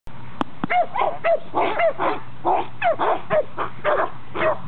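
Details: Boxer dog barking during protection training with a decoy wearing a sleeve, its first such session; loud, rapid barks with some strained, rising tones, repeated roughly twice per second in a steady burst.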